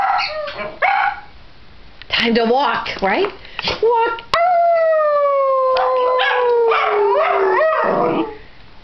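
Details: Dachshunds howling before a walk, one having started the session; broken bursts of yelping howls, then a long clear howl sliding slowly downward, a person's voice mixed in and Christmas music from a television faintly behind.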